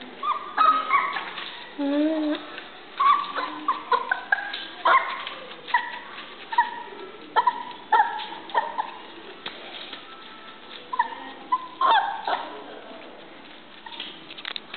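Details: Young male Shiba Inu dog giving a string of short barks and yips mixed with high whimpering whines, in uneven bursts roughly every second, with quieter pauses between.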